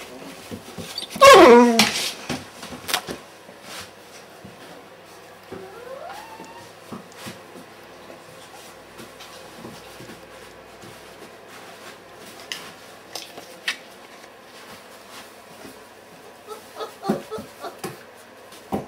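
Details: Weimaraner puppies at 30 days old, litter from Kiss and Quest, recorded 6 December 2012 indoors; a loud high yelp burst near the start, a rising whine, then scattered soft whimpers and rustling handling noises.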